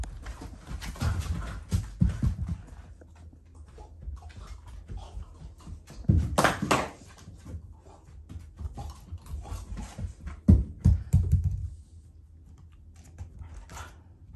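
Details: Shiba Inu and a black Labrador playing indoors, fighting over ice; low rumbling growls with bursts of scuffling around two, six and eleven seconds, the Shiba growling in play rather than anger.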